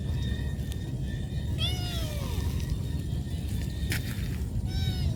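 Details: Hungry cat calling out to its mother for food: one drawn-out, downward-curving meow near the middle, a fainter call at the end, a short click between, and steady low rumbling noise throughout.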